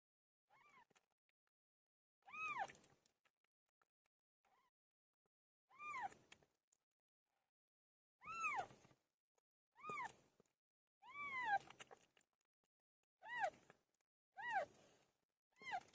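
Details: House cat Pilo giving birth: a series of around nine clear, bending meows, each under a second, coming every one to two seconds and growing closer together toward the end in a quiet room.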